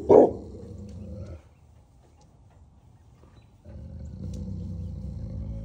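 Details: Great Pyrenees livestock guardian dog on a goat farm in Knoxville, Tennessee, barking to warn that something is out there; one loud, deep bark, then a low rumbling tone, a quiet gap, and more low rumbling.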